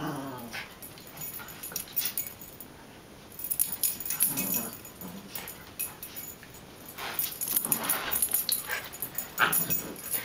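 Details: Two pet dogs playing together indoors, with short rough growls and scuffling bursts scattered through the clip, and quieter gaps between the louder rounds of play.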